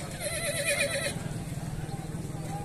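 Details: Horse at a horse fair in Punjab: a wavering, tremulous whinny about one second long opens the clip, then fades into a busy crowd murmur with voices and steady low rumble of the market.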